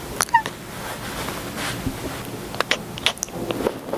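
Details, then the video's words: Male pet kitten named Paws chirping indoors: a brief rising two-note chirp near the start, then scattered short clicks and faint squeaks over a low steady background hum. "kitten chirping sounds to help you relax"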